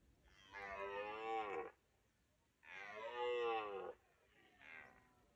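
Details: On a misty morning, a red deer gives two long, loud harmonic bellows about two seconds apart, each over a second long, then a shorter third call, with a calm, quiet background.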